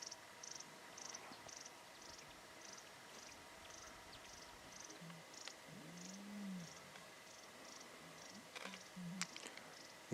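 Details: Lionesses give soft, low moaning contact calls that draw the cubs in to the centre of the pride, in the Timbavati, as a young male approaches the sighting.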